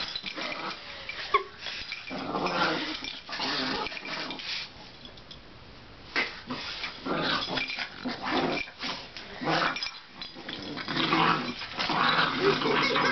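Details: Boston Terrier making low, rough growling grunts and snuffly breaths in irregular bursts of one to two seconds, broken by short quiet gaps, with a soft whimper-like note near the start.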